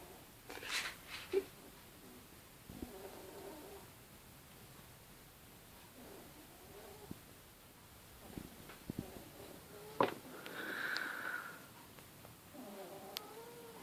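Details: A sleeping 10-week-old female Bichon Frise cross puppy snores softly under a table, with faint nasal, whistly breaths repeating every few seconds.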